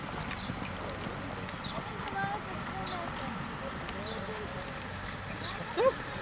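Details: Hoofbeats of a Quarter Horse mare being trained, sharp irregular clops over Hebrew conversation, with light bird chirps behind.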